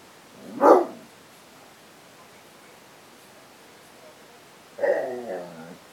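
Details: Basset hound barking while confronting cats: one sharp, loud bark, then about four seconds of quiet before a second, longer, harsher bark with a slightly drawn-out tail. The background is otherwise still.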